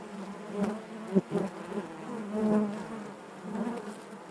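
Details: Steady hum of honey bees in their hive, with several close bees producing brief louder, pitch-shifting buzzes over the constant low drone.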